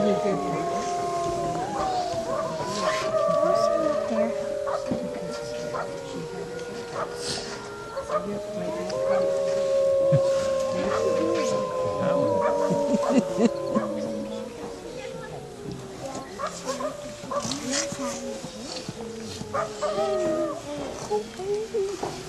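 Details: Several captive gray wolves howl together at night in long, sliding, overlapping tones that rise and fall, at Wolf Park in Battle Ground, Indiana, on October 11, 2014.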